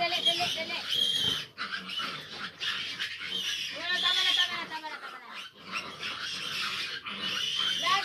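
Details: A litter of fifteen large piglets crowds a sow that has trouble nursing them. Shrill, dense squealing comes in loud overlapping bursts separated by brief dips, with rough lower grunts underneath.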